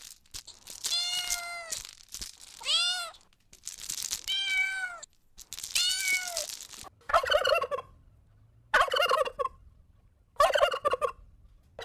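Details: Outdoors on grass, a kitten stalking and chasing butterflies gives a run of high, arching meows, each rising and then falling away.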